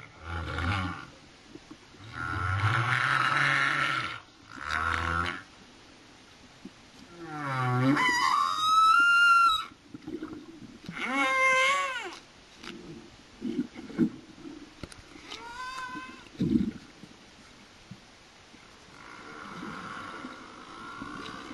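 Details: Humpback whales off Réunion, recorded underwater, sing a varied run of low moans, rising whoops and harmonic, wavering cries.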